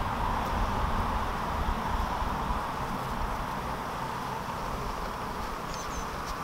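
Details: Bees in Norway, a dense swarm hum: steady, even, low buzzing that holds without a break, with a faint rushing, outdoor background.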